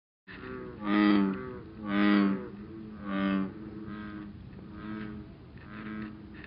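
An American bullfrog gives deep, droning, cello-like calls repeated about once a second.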